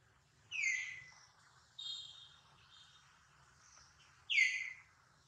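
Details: Injured infant monkey Duke wailing near his mother Duchess: two shrill falling squeals about four seconds apart, with a steadier, flatter whine between them and a low background hum.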